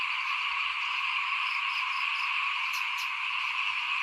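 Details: A short burst of small frogs chorusing outside a house during 2021 rice sowing: constant shrill trilling drone, two stacked pitch bands, a couple of brief higher ticks near the end.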